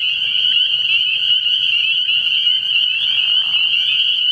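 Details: Night chorus of spring peepers at a frog pond in early spring, many frogs giving piercing high peeps that blend into one continuous shrill drone, with a brief softer rustle near the end.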